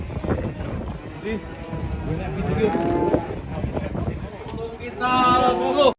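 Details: Enraged fat cattle on the rampage: a low, drawn-out moo rises midway, then a louder, rich, harmonic bellow closes the clip, set against steady rumbling noise, thuds and clatter.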